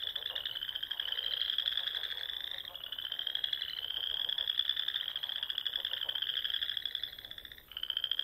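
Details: In the Nebraska Sandhills on a spring evening, wild frogs near ponds give long, high, rapidly pulsed trills that climb slightly, overlapping into a steady chorus with a short gap near the end.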